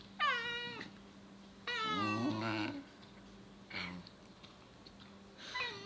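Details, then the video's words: Two Basenji siblings squabble indoors over one dog's tail, its owner wanting it left alone; bursts of high, wavering, harmonic wails and yelps rise and fall, with a short sharp cry near the middle and a steady low hum underneath. "Dogs fighting over tail"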